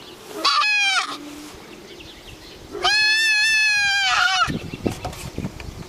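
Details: Dainty farm doe goat with a howl-like voice giving two long, strained, harmonic calls, the second held over a second and steady in pitch, with a low hum and shuffling noises around them.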